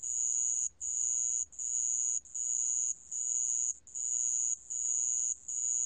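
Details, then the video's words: Sand cricket, recorded by Korea's National Institute of Biological Resources in 2020: a very high, shrill trill broken into bursts of under a second, each followed by a brief pause, about eight bursts in a steady rhythm, with faint low background hum. "모래방울벌레, 여러번 듣기, 곤충소리"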